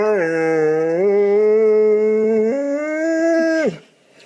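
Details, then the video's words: Funny dog noise: a long, steady, howl-like tone that steps up in pitch twice over nearly four seconds, then cuts off abruptly, indoors. "Funny Dogs' Noises!"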